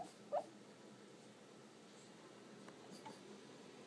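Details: George the pug, barking in his sleep while snoring indoors, gives a single short muffled yip near the start, then only steady low room hiss follows.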